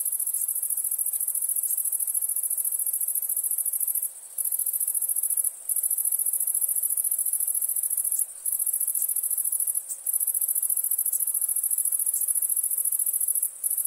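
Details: Crickets chirping at nighttime: a steady, very high, shimmering trill that runs almost without a break, with a handful of brief pauses scattered through the stretch and no other clear sounds.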